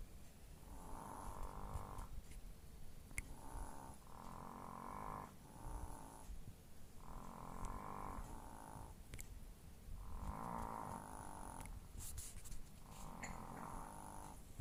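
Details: Chihuahuas asleep and snoring, repeated raspy nasal snores roughly every one to two seconds, some doubled breaths, with occasional small clicks and rustling nearby.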